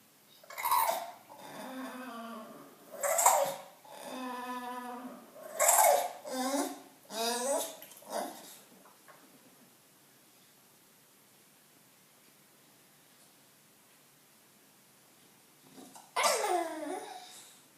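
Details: Indoor bulldog wanting attention, giving a series of harmonic, moaning whines that rise and fall over about eight seconds, then a pause of near silence before one more drawn-out, wavering whine near the end.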